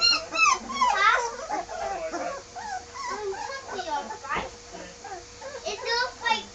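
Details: Newly moved Bergamasco Shepherd puppies in their puppy room let out loud, swooping whines and squeaky cries in bursts, several pups calling at once, with people talking nearby.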